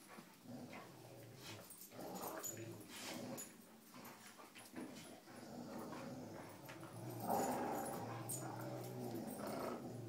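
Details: Cujo, Kali and Lilly, pet dogs at tug-of-war with a rope, give a steady low growl that swells louder near the end, over continuous shuffling and thumping of play.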